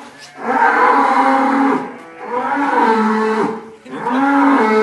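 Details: A large cow in Indonesia is being sent off on the day of its farewell. It gives three drawn-out, deep moos, each lasting about one to one and a half seconds, with short pauses between them, in a close, loud recording.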